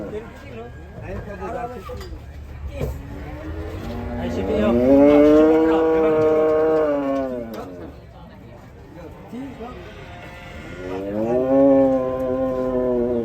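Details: Enraged cattle letting out a long, swelling bellow that rises then falls, followed by a second, shorter moo, over human chatter and background rumble.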